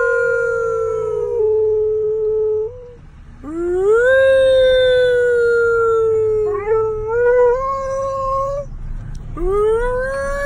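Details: A gray wolf howls inside a car alongside its owner, giving long, smooth howls that swoop up sharply and then hold a steady, slowly falling tone.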